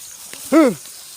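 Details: Domestic goat kept by its owner, out at pasture in a rural field during herding, gives one short arched bleat that rises and falls, with faint background murmur.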